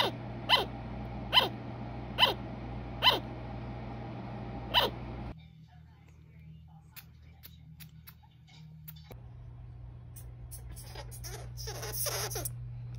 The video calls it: What Noises do a Sugar Glider Make?